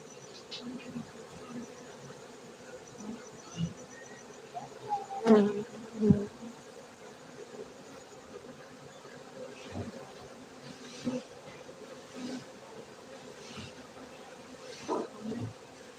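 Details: Honey bees buzzing at a honey bee farm in Bener Meriah, Gayo, Aceh, Indonesia; a soft background drone broken by loud close fly-bys, sharp rising and falling whines around six seconds in and several more later.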